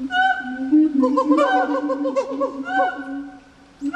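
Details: Gibbon calls from Japan Monkey Center on International Gibbon Day, October 24: sustained hooting tones overlaid with quick bubbling trills, at about two notes per second, fading out near the end.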